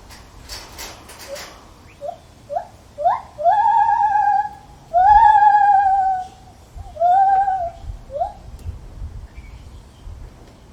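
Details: Lar gibbon calling in a zoo: a series of rising whoops that grow longer and louder, then long wavering hoots with a slight tremolo around the middle, followed by shorter rising notes, with faint background clatter at the start.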